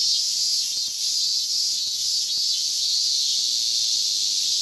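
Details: A steady wall of high, sizzling cicada buzz at Inagi Central Park, Tokyo, where cicadas were being caught by hand. The tone swells slightly without pause, and soft knocks sound underneath.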